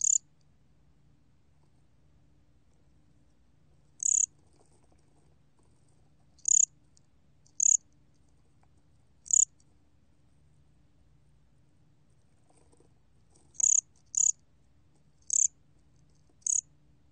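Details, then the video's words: Bear cricket (gomgwitturami) from the National Institute of Biological Resources, 2020: piercing high chirps at uneven intervals, sometimes one to three seconds apart and sometimes in quick pairs, over a soft low hum. "곰귀뚜라미, 1번 듣기, 곤충소리"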